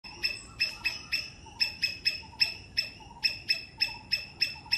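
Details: Three-striped palm squirrel calling in Sri Lanka: sharp high chip notes with bright harmonic bands, repeated in an uneven series roughly three per second, with faint low background rumble.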